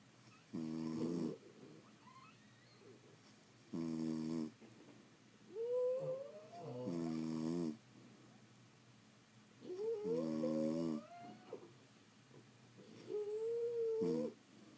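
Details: Several French Bulldogs sleeping indoors produce five coarse snores at uneven intervals, several topped by high, bending whistled squeaks as air passes through the nose.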